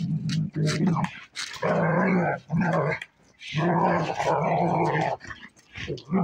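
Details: Play fight between German Shepherds, an adult female and a 9-month-old puppy: low rolling growls in long bursts of about a second, separated by short silences, with a few sharper snarls.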